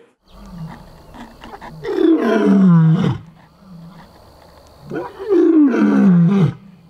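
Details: Two deep, falling roars from Ruben, a lion whose roars went unanswered for over five years after he was abandoned at a closed private zoo in Armenia. Softer grunts come before each roar, and a faint steady whine runs in the background.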